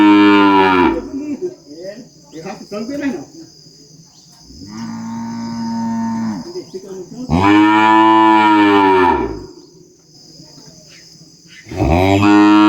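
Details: Farm calf bawling and mooing repeatedly, four loud harmonic bellows of about one to two seconds each, one softer and lower, over a steady high-pitched insect hum.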